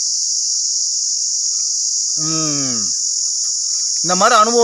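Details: Cicada calling from a Manila tamarind tree: a steady, unbroken, high-pitched shrill drone runs throughout, with a person speaking briefly twice over it.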